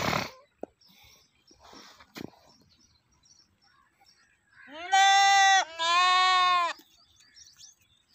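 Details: Goat giving two drawn-out, wavering bleats back to back after a few seconds of faint clicks and rustling, the first bleat slightly longer, the second following after a brief pause.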